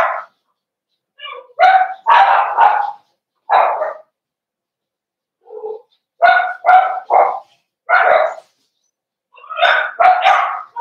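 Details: Socialization day in the Cavalier King Charles Spaniel puppy pen, 12/13/22, with big dogs brought in to meet the puppies: irregular clusters of two or three quick barks separated by short pauses, plus one softer, lower bark midway.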